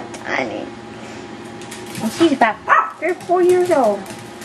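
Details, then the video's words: Yorkshire Terrier puppies going wild at play indoors: a burst of short, high, squeaky yips and barks crowds the second half, with a person talking over the quieter start. "Our Yorkshire Terrier Puppies"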